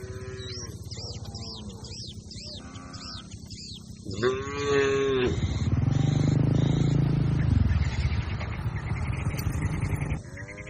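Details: Grazing herd of cattle: a run of short, arching higher calls repeating quickly, then one long, deep, loud moo that holds low and steady for several seconds before fading, over a constant low background rumble.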